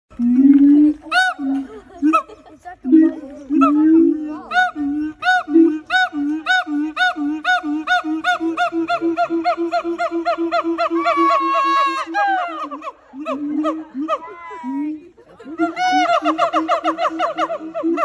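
A siamang gives loud, rich hooting notes that quicken into a rapid run of barks before rising whoops.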